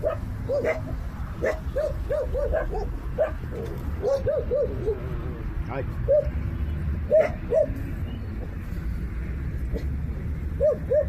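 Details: Newborn puppies found without their mother in a jungle, rescued and bottle-fed; many short, high squeaky cries in quick clusters, some rising then falling, over a low background rumble and faint voices.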